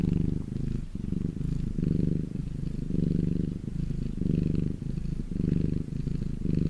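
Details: Sunbathing domestic cat giving a close, low buzzing purr in rhythmic pulses, each breath cycle a little over a second, the rumble briefly dipping between inhale and exhale.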